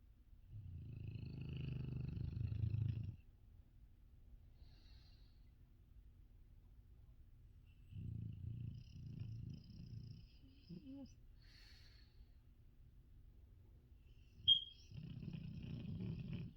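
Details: Female dog sleeping right beside the listener's ears, snoring loudly: low rumbling breaths lasting two to three seconds, separated by quiet gaps, with a faint high hiss and a brief sharp click near the end.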